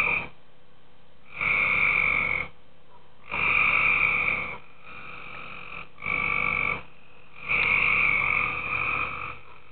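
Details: Tree frogs calling at night in a pool: about five harsh, buzzy croaking bursts, each roughly a second long, with a bright nasal two-toned quality, separated by short quiet gaps.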